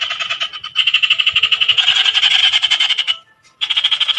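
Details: A frog gives a loud, fast pulsed trill, a rattling run of rapid notes sustained for about three seconds, a brief silence, then the pulsing resumes just as strongly.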